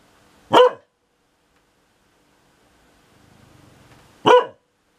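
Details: Sunny the dog, annoyed by the rumbling of thunder, lets out two abrupt, clipped barks nearly four seconds apart, with a faint low rustle between them.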